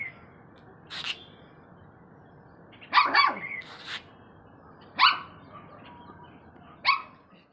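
A Saint Bernard puppy gives short, sharp barks, spaced about two seconds apart.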